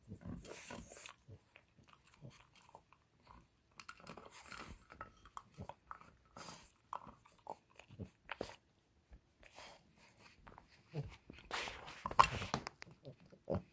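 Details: A female French Bulldog chews steadily on an antler, making irregular dry crunches, clicks and scraping bites.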